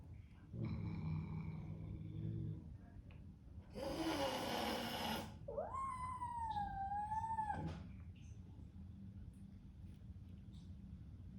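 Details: Newly arrived Bengal kitten confronting a large resident cat. A harsh breathy hiss is followed by a long kitten cry that rises sharply and then holds steady, bright with harmonics, above a low background hum.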